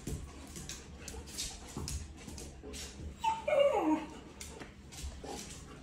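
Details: Puppies playing together at a half-day puppy session joined by Kiko, an Australian Shepherd, on 12-5-2023; midway, one short whimpering whine slides steeply downward, framed by soft scuffles and quiet indoor room noise.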